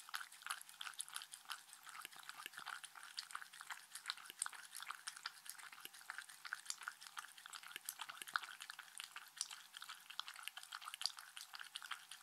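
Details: Mindy the Shetland Sheepdog enjoying treats, recorded close up for relaxation. A long, continuous run of quick wet clicks and soft smacks keeps an even pace throughout, with a few stronger snaps.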